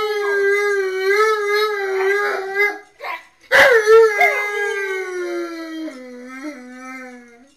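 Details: Tonka and Monroe, two dogs singing to Memphis and Kira while their owner is away, on security cameras: a wavering howl, a short break with a sharp noise, then a long howl sliding down to a lower drawn-out note.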